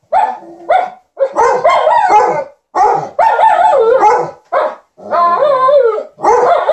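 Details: Two dogs, Liza the Alaskan Malamute and TJ the Golden Retriever, keep their owner company with "talk" as she irons; a near-continuous run of warbling, rising and falling yowls and grumbles in rapid succession.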